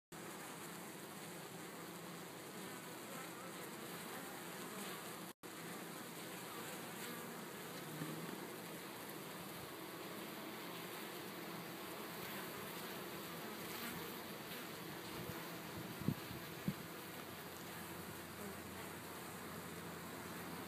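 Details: Honey bees washboarding, rocking back and forth in a scrubbing motion on a hive at a honey bee research facility at the University of California, Davis: a dense, steady, broad buzzing hum throughout, with a few faint clicks.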